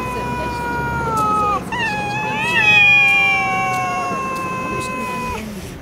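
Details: Stray cats in a Russian city during a fight, long drawn-out tonal yowls with rich harmonics, one wail breaking off after about a second and a half before another rises and wavers for several seconds; light background noise.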